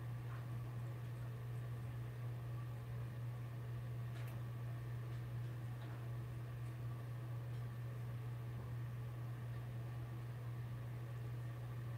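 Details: Steady low mechanical hum, like a fan or appliance, fills a small indoor room, with a few faint clicks and no animal voices.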